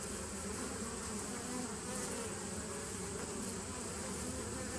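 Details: Bees from a 2017 nuc, recorded 27 September 2018, make a continuous rumbling hum, low and broad, steady in loudness with no pauses.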